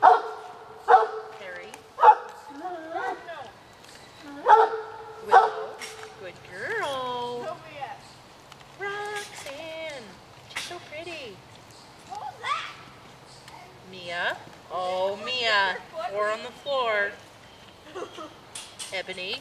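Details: Pet dogs waiting for an afternoon snack open with several loud barks, then drift into wavering, rising-and-falling whines and yelps, mixed with a person repeatedly telling them to wait.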